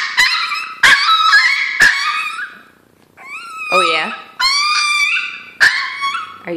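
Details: Hungry Chihuahua indoors crying for its breakfast, as before every meal: loud, piercing, harmonic wails and yelps, some bending up and down, in several bursts about a second long, with a brief pause mid-way and human voice nearby.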